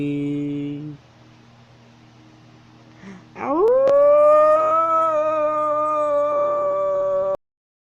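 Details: Wolf, a North Eurasian canine, howling while walking: after a short musical tone, a smooth rising wail levels into a long, steady, harmonic-rich note held for about four seconds before ending abruptly.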